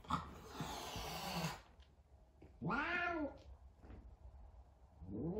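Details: F2 Savannah cat scared of a little kitten on their first time together: a noisy hiss-like burst, then an arching wavering yowl near the middle and a rising moan starting at the end.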